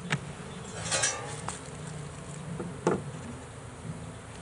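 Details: Honey bee swarm from a first swarm trap, shaken out of the trap box: a steady low hum of many bees, with sharp knocks and clatter from handling the box at about one second and near three seconds.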